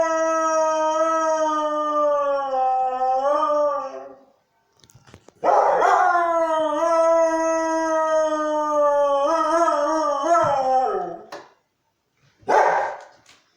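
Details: Hurley, a Siberian Husky, howls at church bells: long, even, rich-toned howls, each ending with a wavering bend, broken by short pauses and a final brief outburst.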